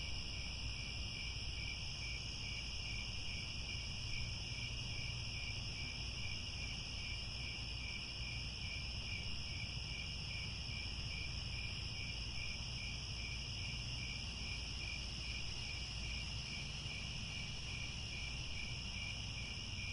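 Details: Sunset cricket chorus from grassland at Angkor Wat, Cambodia, with many insects trilling continuously at high pitch, one band carrying a fast regular pulse, over a constant low rumble.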